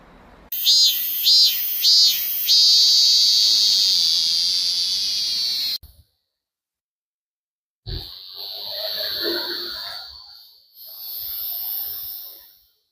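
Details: Cicadas singing in midsummer, their calls said to vary in loudness and character. A loud, high, steady buzz opens with three short pulses, then holds for several seconds. After a brief silence, the buzzing returns with rougher, breathy noise beneath it.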